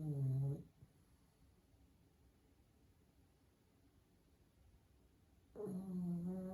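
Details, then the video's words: Pug asleep indoors snoring: a low rumbling snore fades out at the start, then near-silence with faint room hiss for about five seconds before another loud, buzzy snore begins. "Cute Dog Sleeping & Snoring"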